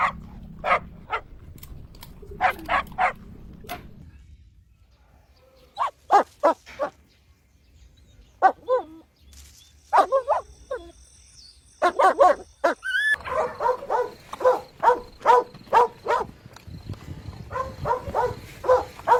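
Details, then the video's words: Puppies drinking milk on a lush green meadow bark in short clusters of quick yaps, separated by pauses, then in a faster continuous series toward the end over a low rumbling background. "Adorable Puppies Drinking Milk on a Lush Green Meadow | Puppy Video | Cute Barking Sounds"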